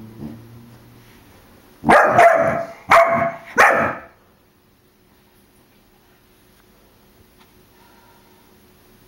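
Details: Four-month-old puppy barking at a balloon it dislikes, indoors; three sharp, loud barks spaced under a second apart, then near silence for the rest.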